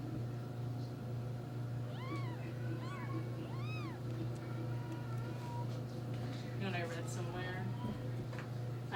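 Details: Four-day-old kittens from a neighbour's litter fight with their paws over their mother. Three high, arched mews rich in overtones come about a second apart, then a burst of overlapping cries follows, over a steady low hum and quiet talk.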